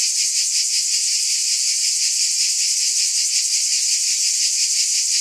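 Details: Continuous high, shrill cicada buzzing, throbbing in a quick regular beat of roughly three pulses per second, unbroken throughout.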